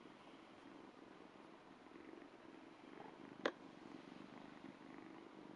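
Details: Ragdoll kitten about two months old, purring while licking a hand: a soft, steady low rumble throughout, with one brief click midway.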